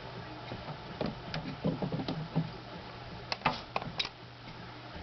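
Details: Captive female Madagascar day gecko reacting to a camera lens placed before her, giving clustered bursts of short, dry ticking clicks, one run midway and another near the end, against a faint low room hum.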